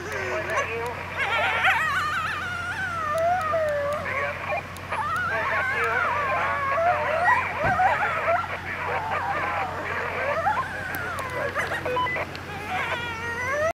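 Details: Coyotes howling at Indian Pond in Yellowstone National Park: several overlapping, wavering high howls and yips slide up and down without pause for the whole stretch, over a steady low hum.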